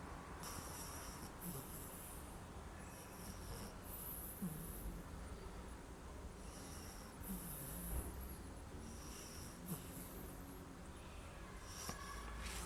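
Quiet, low snoring from an English bulldog puppy, each breath a soft rumble with an occasional snort. Faint airy hiss comes and goes in the background.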